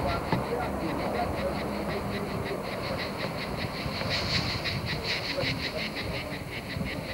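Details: Cicadas in France, 1995: a high, rasping pulse repeated several times a second, over a low rumble.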